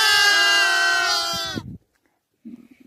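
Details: A lamb on a cold Mongolian spring steppe, penned by nomads with other young lambs and kids, answers as if calling to its mother: one long, steady, nasal bleat that fades out, followed by soft rustling.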